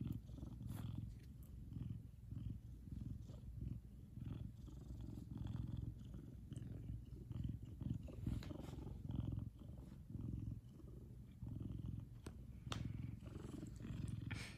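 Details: A big male Savannah cat purrs loudly when happy, a deep steady rumble pulsing in and out with each breath.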